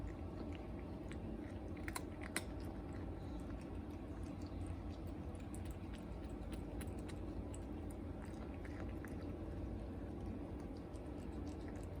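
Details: Steady chewing and crunching indoors in a small room over a constant low hum, with no animal call.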